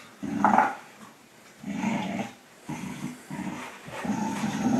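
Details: Two dogs, a Pit Bull and a German Shorthaired Pointer, growling while playing a friendly tug of war; low rumbling growls in four or five bursts with short pauses, indoors.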